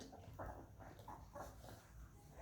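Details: Bella, a pet Labrador Retriever, indoors in a small room, gives a few soft, nasal whimpering bursts, about three short whines close together over two seconds, quiet against faint room noise.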